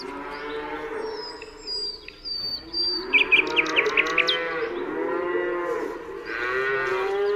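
A cow gives long, drawn-out moos while small birds chirp and whistle in the background.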